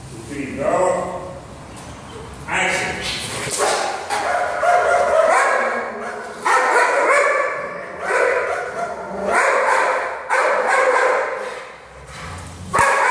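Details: Seven-month-old Belgian Malinois at work during a training session, giving a run of sharp barks about once a second, with a handler's spoken commands over and between them.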